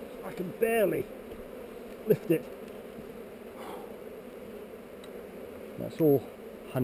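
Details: A continuous low drone of honey bees at a hive on heather, filmed with a GoPro while the hive is opened for inspection. Brief loud wavering buzzes from single bees flying near the camera cut in at the start, around two seconds and near six seconds.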